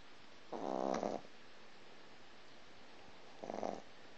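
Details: Sleeping three-month-old Boston Terrier puppy snoring as it dreams: one long rattling, buzzy snore lasting over half a second, a pause of about two seconds, then a shorter, quieter rasp.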